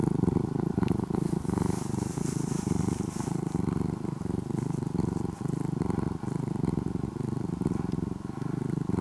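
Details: Orange-and-white former stray kitten in Japan, living almost as a house cat, purrs continuously: a low, rough, motor-like rumble holding steady for the whole stretch, with brief soft hiss in the background.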